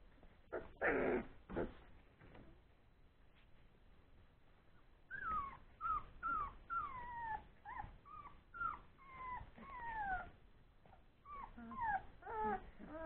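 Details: Old English Sheepdog puppies, born three weeks earlier, playing together after feeding: a loud scuffle, then a run of high, sliding whines and squeals, many falling in pitch and repeated every second or so.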